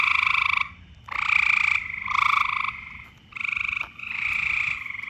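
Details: Loud frog calls in mating season, a run of four or five rough, buzzy trills of about half a second to a second each, separated by brief pauses, with a pulsing, rattling texture.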